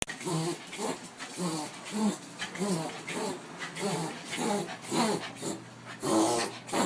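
A Dachshund has a reverse-sneezing fit: harsh, honking snorts drawn inward, repeated in quick uneven bursts. A human voice may be faintly mixed in among the snorts.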